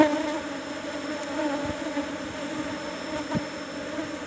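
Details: Managed Asian honey bees humming in hive box number 17 as honey is harvested; a soft, unbroken drone with a couple of light taps from work on the combs.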